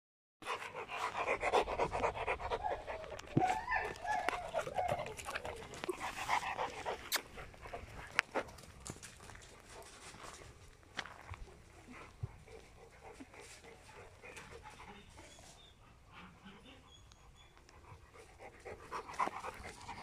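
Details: Protection dogs, a Presa Canario and a Malinois, breathing in rapid, rough, breathy pants that run steadily through the recording, louder at first and fading toward the middle, with scattered clicks and rustling.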